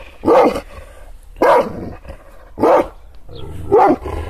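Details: Four deep, single barks spaced about a second apart from an angry Kangal, an Anatolian shepherd dog teased with hand movements; a faint low growl fills the gaps.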